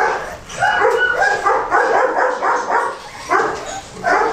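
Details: Several Goldendoodle puppies, a cross of Golden Retriever and Standard Poodle, Christmas 2007 litter, give rapid, shrill yelps and little barks that run together in busy bursts, with a brief quieter gap near the middle.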